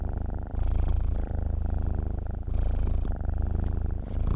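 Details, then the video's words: Domestic cat purring in its sleep: continuous deep rumble alternating between breathy in-breath phases and quieter out-breath phases, about two full cycles. "KUCING TIDUR MENDENGKUR"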